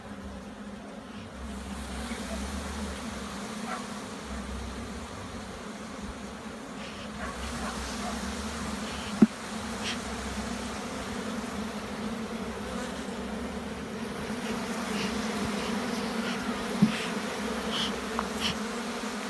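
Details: Bees at a hive in Jamaica during an inspection, with smoke applied to calm them: a steady low droning hum of many bees throughout, with occasional sharp clicks and handling knocks.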